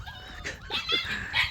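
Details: Domestic dogs giving high, thin whines that slide up and down, several overlapping short tonal cries over about a second and a half, no voices in between.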